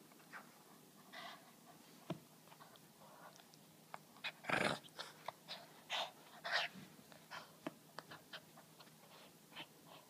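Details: Boston terrier named Giovanni playing tug of war with a rope indoors: short snorting growls and panting bursts recurring every half second or so, with one louder huff near the middle.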